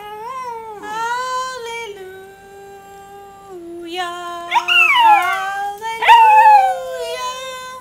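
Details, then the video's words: Rat Terrier that loves to sing, howling along with a person singing 'hallelujah': long steady sung tones first, then loud rising and falling yelping howls near the end. "Singing Rat Terrier"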